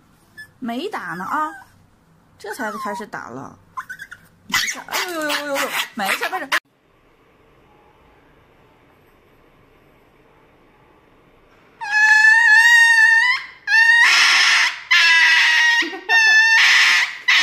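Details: Dog receiving an injection, first with human speech and short whines, then a quiet pause, then a run of loud, high, piercing yelps and cries in bursts of roughly a second each.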